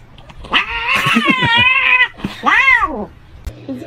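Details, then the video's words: A domestic cat meowing indoors: a long, loud, wavering yowl lasting over a second, then a short rising-and-falling meow, with people talking and laughing around it. "cats meowing"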